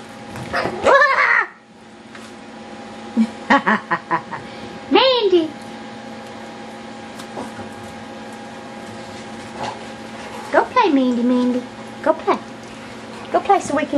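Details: Yorkshire Terrier puppies playing wildly indoors, giving high whining yelps that slide downward in pitch, in several separate bursts across the recording, with a woman speaking softly between them.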